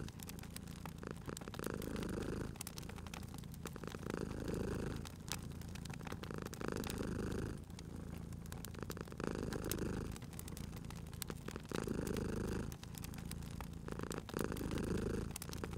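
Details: Purring from a sleeping cat near a crackling fire in a cozy spring scene. The low, rumbling drone pulses about every two and a half seconds, alternating stronger and softer breath phases, with frequent sharp crackles from the burning logs.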